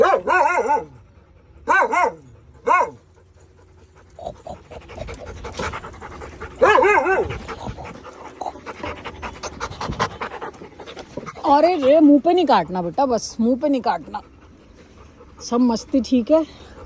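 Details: A Labrador Retriever in Indore, enjoying being scratched, makes short moaning whines and grunts in uneven bursts, with quick panting between them.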